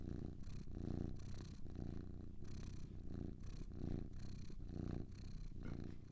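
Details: A low, continuous rumbling purr from two cats, pulsing gently as the breath alternates in and out about once a second, close and even, with nothing else audible.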